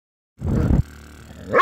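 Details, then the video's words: Copper the Basset Hound being a grouch: one short, low, rough growl lasting under half a second, then a quieter rumbling tail and a rising voice at the end. "COPPER THE BASSET HOUND BEING A GROUCH"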